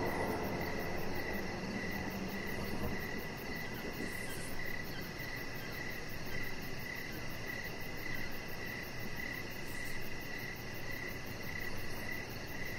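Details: Evening crickets heard from a backyard deck, giving regular bright chirps nearly twice each second over a soft, constant low hum of background noise.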